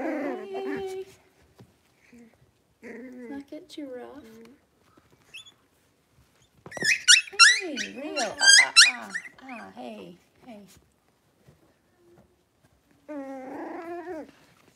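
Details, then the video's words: Five young Blenheim Cavalier King Charles Spaniel puppies playing together indoors in their pen; bursts of wavering yips and growly whines, a loud cluster of shrill squeals in the middle, then silence before a final whining yelp. "Cavalier Puppies Livestream: Playing, Barking, and Learning"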